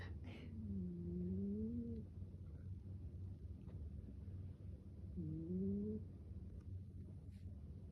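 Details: American Shorthair kitten asleep, giving two drawn-out whistling snores that glide upward, a few seconds apart, against a constant low hum.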